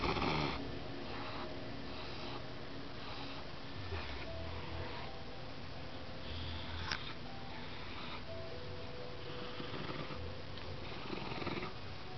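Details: Pet Dachshund growling protectively while guarding a treat in his mouth indoors; a low, steady rumbling growl runs throughout with pulsing bursts, while a person speaks soothingly in the background.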